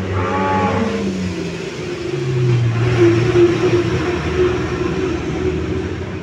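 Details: A household cow raised at home, lowing: a harmonic moo that falls in pitch over the first second, then a lower drawn-out tone from about two to three and a half seconds, over a steady engine-like hum.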